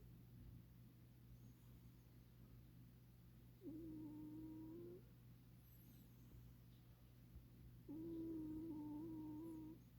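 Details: A snoring cat, fast asleep, gives two long flat whistled snores about four seconds apart, the second slightly wavering, against a quiet background with a steady low electrical hum.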